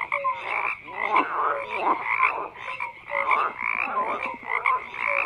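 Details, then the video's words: Croaking frogs fill the air with a steady chorus of grating, pulsing calls that surge about twice a second, mixed with brief piping notes and low short hoots. "FROGS CROAKING"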